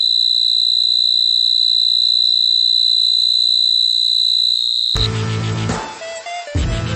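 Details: Cricket. A cricket holds a shrill, even trill at one high pitch for several seconds without a break. The trill ends abruptly and gives way to a short stretch of music with voices.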